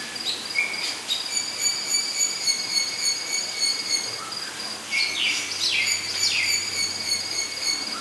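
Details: Two cotton-top tamarins at Blank Park Zoo give long, thin, high whistles, some held steady and others sliding quickly downward.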